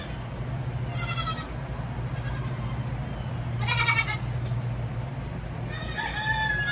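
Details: Young goats, baby kids, bleating while having their hooves trimmed: three short, strained, harmonic bleats about two and a half seconds apart over a steady low engine-like hum.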